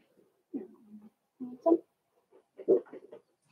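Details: Four-week-old Cavalier King Charles Spaniel puppies in a home puppy pen, meeting other dogs and trying puppy mash; low, soft whimpering grunts in three short bursts, some drawn out and slightly tonal, in a quiet room.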